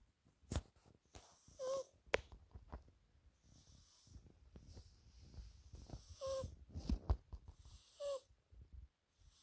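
A British Shorthair cat snores in slow, breathy rasps, each with a faint nasal whistle, every two seconds or so.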